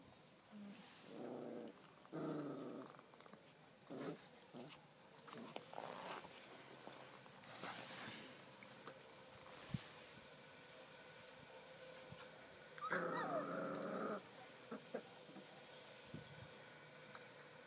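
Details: Month-old Dobermann puppies, offspring of Kate and Zeus, recorded 17 May 2012 at Cambuquira in southern Minas Gerais, Brazil; low rough growls in short bouts early on and again near the end, over steady background hiss.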